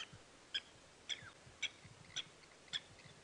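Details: On a 6:30 AM safari drive on 12 July 2016 at Djuma Game Reserve, South Africa, a grey tree frog calls faintly with short, clicking chirps, about two each second, over a faint low rumble.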